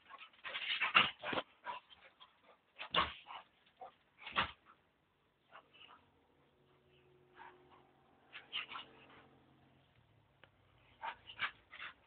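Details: One-year-seven-month-old male American Staffordshire Terrier jumping, giving clusters of sharp yelps and whining whimpers, then a quieter stretch with faint low hum before a final run of short yips.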